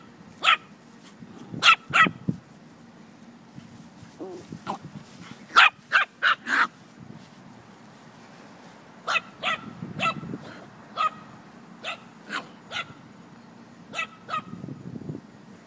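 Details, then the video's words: Moxy and Hopper, a Chihuahua and a puppy at play: bursts of shrill, clipped yaps, some in rapid clusters of three or four, mixed with low scuffling and growly rumbles between barks. "Chihuahua playing with puppy"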